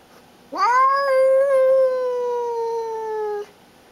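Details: Single drawn-out yowl from Baby, a female pet cat guarding and showing who is boss; the cry swoops up, wavers slightly, then steadily lowers in pitch over about three seconds in a quiet indoor setting.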